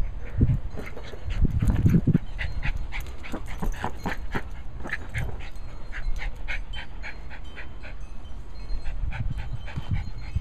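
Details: Cairn Terrier Abby pants rapidly during ball play: rhythmic, airy huffs repeating several times per second throughout, plus a few low thuds and scuffling near the start and at the end.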